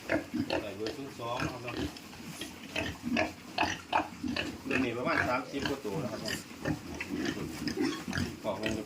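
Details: Young pigs shifted to fattening pens on a farm grunt and squeal in rapid, uneven bursts, roughly two or three per second, mixed with a man's speech nearby.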